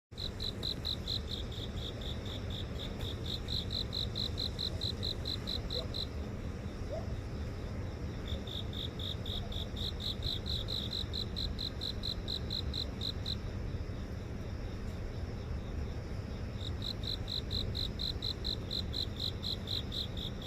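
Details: Grass insects singing at night in a house garden near an office in central Seoul, recorded on a phone: rapid pulsed chirps around 4k in repeated bursts with short pauses, over steady low city hum.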